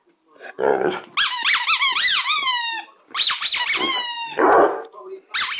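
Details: A noisy two-year-old Basset Hound gives yodelling howls whose pitch wavers up and down in quick loops. Two long howling phrases are separated by a short throaty grunt.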